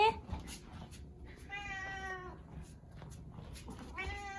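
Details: House cat following its owner everywhere indoors, giving a long level harmonic meow, then a shorter rising one at the end, with a woman speaking softly and soothingly just before.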